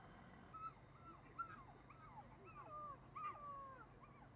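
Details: Red female Shiba Inu puppy whimpering: a string of thin, high whines that rise and fall and bend downward, about six short cries over four seconds, some drawn out, with a steady low hum beneath.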